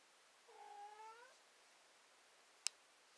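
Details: A cat whines with a short, slightly rising meow under a second long. A sharp click follows after a pause, in an otherwise quiet indoor space.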